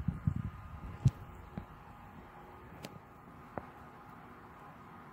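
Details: Scattered low thumps and a few sharp clicks over a steady indoor hum, with no animal voice.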